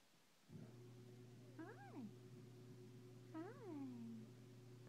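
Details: A miniature Siberian Husky puppy gives two drawn-out, rising-then-falling whines over a steady low hum.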